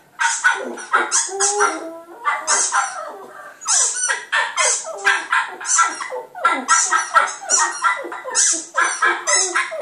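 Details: A Border Terrier puppy howls at a computer, giving a run of short, high, yelping howls in quick bursts.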